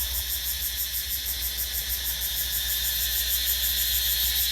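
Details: Two or three cicadas singing loudly in a forest garden as the trees put out fresh green leaves; a dense, shrill, high buzzing drone pulses steadily a few times per second throughout, over a faint low hum.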